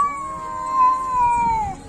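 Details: Domestic cat giving a long drawn-out meow, a steady tone held for nearly two seconds that sags slightly in pitch at the end, with rich overtones and little else audible.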